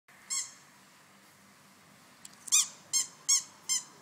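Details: French bulldog puppies from a show bulldog kennel playing together in a garden; one quiet stretch, then five short, high, squeaky yelps, the first alone and four more in quick succession near the end, over faint background hiss.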